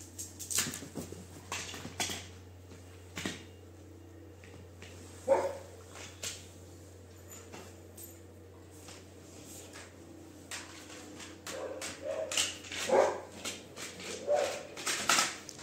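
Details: Labrador Retriever named Duke giving a few short, sharp barks and whiny yelps. One comes early and several cluster toward the end, amid frequent clicks, taps and clattering knocks, with a steady low hum underneath.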